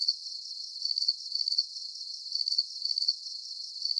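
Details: Crickets chirping for a soothing sleep recording; bright, high trilled chirps in short pulsed groups, slightly uneven in spacing, rise and fall over a constant thin background buzz, with no other sounds present.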